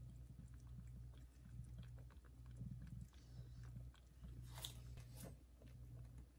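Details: Mother cat purring loudly while caring for and feeding her tiny kittens; continuous low rumbling broken by short pauses, with soft licking and chewing noises and a couple of sharp high rustles.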